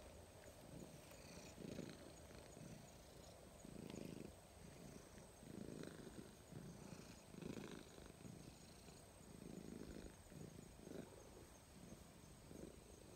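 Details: Grey stray cat gradually closing the distance and turning affectionate, purring steadily: low, throaty rumbling pulses that swell and fade in rhythmic bursts about every second, with a faint steady high hiss in the background.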